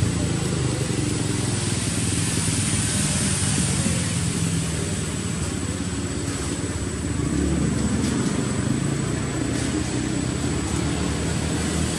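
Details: Loud, continuous engine and motorcycle noise outdoors in an urban setting, with no animal sound present.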